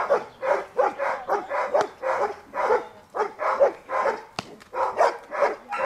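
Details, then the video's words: Barking from Dea, a Giant Schnauzer of the Wasserschloß kennel, while she is built up in protection work: a steady run of strong, harsh barks, about two per second, with one sharp snap midway. "Riesenschnauzer Dea vom Wasserschloß - Schutzdienst"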